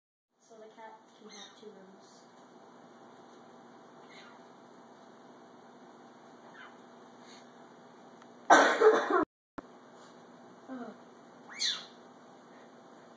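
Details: A serval gives short, high, bird-like chirps that slide downward while she eats, as a person calls her name and asks if she is hungry.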